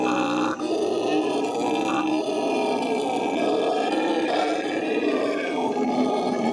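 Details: Zoo howler monkeys in Los Angeles, May 2014, giving a sustained deep, raspy roaring howl that runs almost unbroken for over six seconds.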